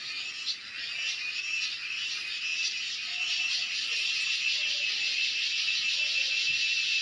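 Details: Continuous shrill cicada drone, dense and high-pitched with a fast, faint flutter running through it, rising slightly in loudness after the first seconds and holding steady to the end.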